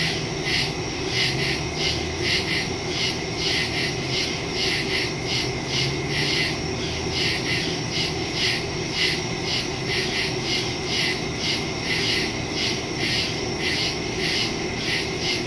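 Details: Crickets chorusing in woods at night, recorded September 2, 2023 on a Samsung Galaxy S22 Ultra phone with a Shure MV88+ stereo microphone; dense, steadily pulsing high trills stacked in several layers, unbroken throughout, over a faint low rumble.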